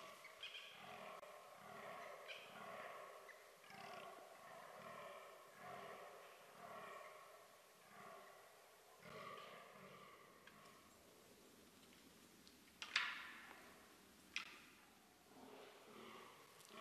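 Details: A fallow deer (Dama dama) in a Hungarian forest in October, when the hunting season begins, gives a rapid run of deep, belching groans, followed by a few sharp knocks.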